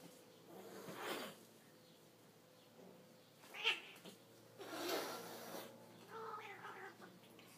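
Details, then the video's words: A male and a female house cat fighting indoors because the male keeps pestering her: scattered short yowls and hissing bursts, one sharp high squeal, and a rising wail near the end. "Pelea de gato y gata (gato pesado) / Cat's fight (annoying cat)"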